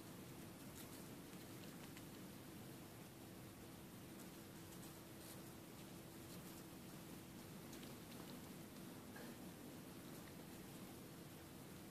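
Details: Steady rain-like hiss fills the recording, with scattered patters and a low constant hum, and no animal voice stands out.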